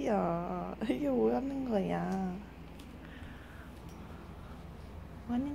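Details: A bored Golden Retriever wanting endless attention, even after a full day of petting and walks, gives a wavering, moaning whine, rising and falling like a talking grumble.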